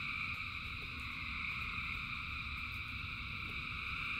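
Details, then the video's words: Rainy-night frog chorus, countless callers merging into a constant high buzzing drone in stacked bands, backed by a dense low patter of rain. "Frogs in Rain 2 Hours of Frogs, Thousands of Frogs Singing"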